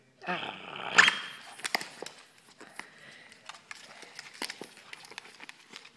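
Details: Shih Tzu named Sadie indoors in a small room, growling because she wants her toy now; a rough, buzzy burst in the first second, then scattered clicks and scuffling with a person's voice calling her name.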